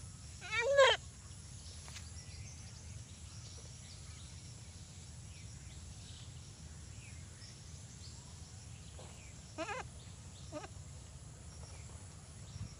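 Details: Desi goat bleating twice, a short nasal quavering cry near the start and a weaker one about nine seconds later, separated by a long stretch of quiet outdoor background hum.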